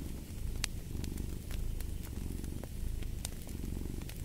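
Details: Cat's purr, a dense low throbbing rumble rising and falling with each breath about once a second, with sharp fireplace crackles snapping over it.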